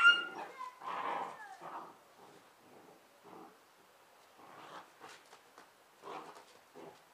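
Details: Two Bernese Mountain Dog puppies, sisters Ylvi and Yella, wrestling in play in a garden; short rough growls and whimpery vocal bursts come in clusters, with quieter scuffling between.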